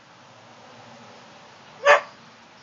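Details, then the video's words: Whippet giving a bark of submission: one short, sharp bark near the end, after a quiet stretch with only low background hiss. "Whippet finally bark of submission"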